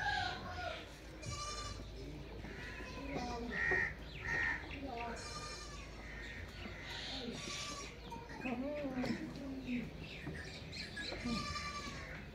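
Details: Goat bleating in a series of short wavering cries, some higher and nasal, others lower, mixed with background voices and speech.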